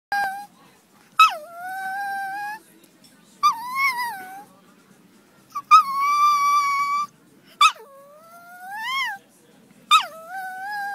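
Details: Maltese dog "singing" at sunset howls in a series of drawn-out, wavering tones, each starting with a sharp yelp.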